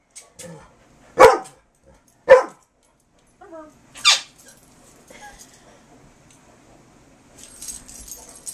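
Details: Two dogs, a Carolina Dog and a black Labrador, play gently for a squeak toy in 2008; a few loud, widely spaced barks, then quieter scuffling and a faint squeak at the end.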